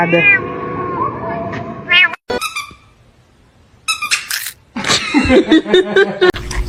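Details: Domestic cat giving a drawn-out, wavering meow followed by short broken bursts of sound, with people talking and exclaiming over it.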